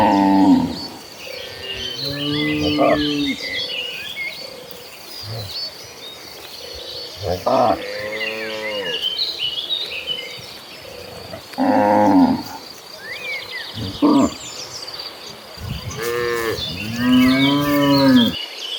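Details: A herd of cattle running across green pastures moos repeatedly in deep, drawn-out, rising-and-falling calls, with small birds chirping in the background.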